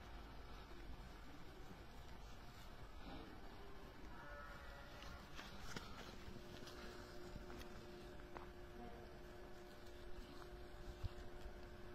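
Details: Quiet outdoor ambience with soft footsteps, faint rustling and a low steady engine hum, with no animal voice standing out.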